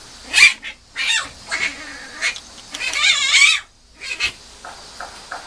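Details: Young female Mame Shiba puppy whimpering and crying in a run of high, wavering squeals, one drawn-out wobbling whine near the middle, followed by brief softer squeaks; little background noise.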